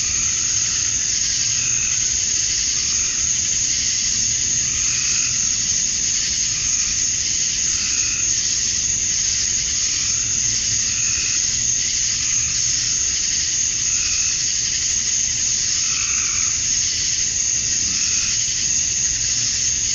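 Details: Continuous high whine from a chorus of male cicadas at dusk on a Georgia summer evening, calling to draw females. Soft, brief mid-pitched pulses recur at irregular intervals under the constant drone.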